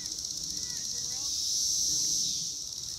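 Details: Male Cassin's 17-year cicadas (Magicicada cassini) at Lake Accotink Park, Northern Virginia, in a recording covering their warming, calling and courtship sounds: a continuous high, hissing buzz that swells in the middle and then eases.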